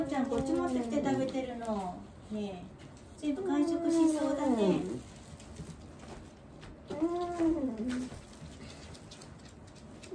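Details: Elderly dog Wanta, cared for indoors during a morning routine and prone to crying out whenever awake, gives long wavering moans: three drawn-out, sliding groans, each one to two seconds, separated by quiet pauses in a small room.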